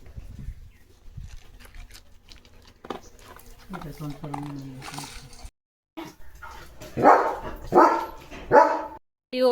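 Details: Leo, a pet German Shepherd, gives three loud, harsh barks in quick succession near the end. A man talks over and between them, and earlier there is quieter household noise.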